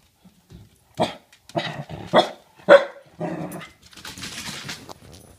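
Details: Pembroke Welsh Corgi confronting a bowling ball indoors: a run of five rough, forceful barks about half a second apart, the last trailing into a noisy scuffle.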